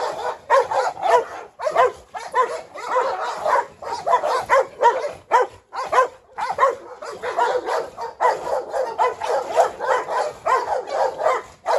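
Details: Rottweiler Pirate chasing Presa Canario Hu Niu around a yard, with a Staffordshire joining in. Dense, overlapping harsh barks run almost without pause, several dogs seemingly sounding at once.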